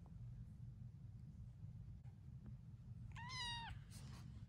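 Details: A seven-week-old kitten getting used to its surroundings gives a single short, clear, high meow near the end, over a steady low hum.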